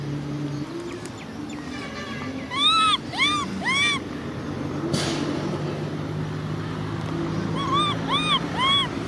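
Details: Crying baby macaque Cola, sister Lyly angry nearby. Faint whimpers give way to three loud arched cries, a sharp click-like burst, a quiet stretch, then four more bowed, tonal wails at the end over constant low rumble.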